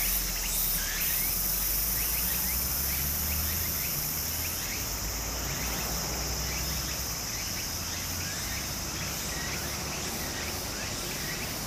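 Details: A summer cicada drone near a stream in Japan holds a steady, piercing high hum with faint pulsing, scattered rising chirps below, and a strong low rumble of running water.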